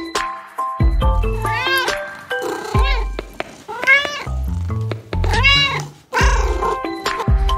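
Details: Domestic cat meowing, played for children learning animal sounds: several drawn-out, rising-then-falling meows spaced through the recording, over steady cheerful background music with a bass line.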